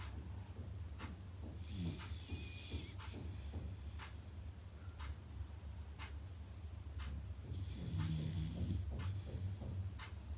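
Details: Sleeping Beagle puppy snoring loudly: a steady low rumble of breaths with brief wheezy, whistling nasal bursts near the second and eighth seconds, plus a few faint clicks indoors.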